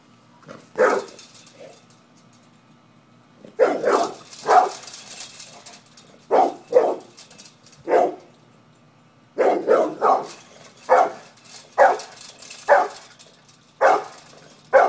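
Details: Pit bull barking while confronting a cat: loud single and doubled barks in irregular bursts, with quiet gaps between groups, a low steady hum underneath.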